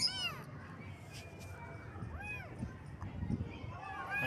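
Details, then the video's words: Baby kittens on their first morning: three high, arched, harmonic meows, one at the start, one near the middle and one at the end, over a steady low hum and faint background rustling. "Kitten Meows"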